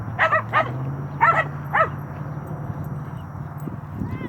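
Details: Nine-month-old Cane Corso playing with another dog: four short, harsh yelping barks in quick succession during the first two seconds, then a steady low rumble and faint scuffling.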